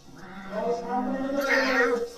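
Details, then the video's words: Male cat wanting a lot of attention lets out one long, drawn-out, wavering meow lasting about a second and a half, growing harsher and brighter in the middle; a person speaks Bengali just before and after. "male cat lemo want too much attention"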